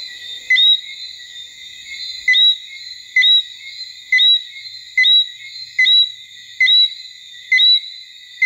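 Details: In October 2014 at Basse-Terre, Guadeloupe, a Martinique robber frog calls with brief bright notes, a click followed by an upward-sweeping whistle, spaced about a second apart above a continuous shrill insect chorus.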